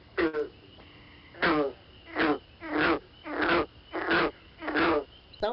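Green frog giving a series of short, twangy gulps like a loose banjo string being plucked.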